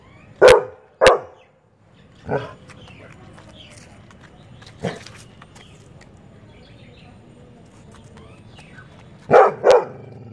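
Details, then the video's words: Labrador Retriever barking, annoyed by chirping birds: loud broadband barks in pairs near the start and end, with a fainter single bark in between and a steady low hum beneath. "Labrador dog barking hardcore"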